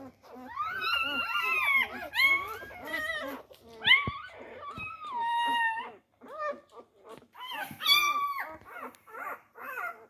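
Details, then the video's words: Four-day-old Labrador Retriever puppies fighting for their mother's teats, giving high, wavering whines and squeaks, some sliding up then down, overlapping in short bursts with brief quiet gaps, indoors. "Die Labrador Welpen am Tag 4. Kampf um die Zitzen."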